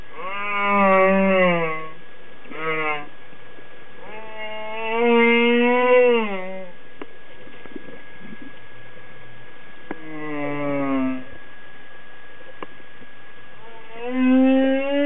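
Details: Humpback whale (Megaptera novaeangliae), song.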